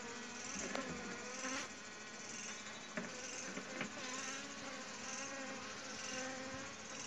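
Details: Continuous dense buzzing of honey bees, disturbed during honey hunting at home, forms a steady wash of sound with faint knocks and rustles scattered across it.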